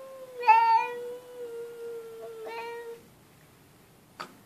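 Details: Domestic cat giving a long, steady meow of about three seconds with rich harmonics, a brief louder onset and a slight downward drift, followed by a short sharp click near the end in a quiet room.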